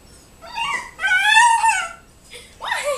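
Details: Siberian husky puppy, 12 weeks old, indoors after spotting a turkey outside: a short yelp, then a sustained, slightly wavering whine, and a final rising-falling whimper.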